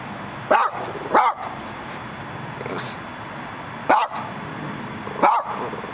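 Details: Four clipped barks from a male Dachshund peering through a gate in Los Angeles, a quick pair first, then two more spaced out, against continuous city hum.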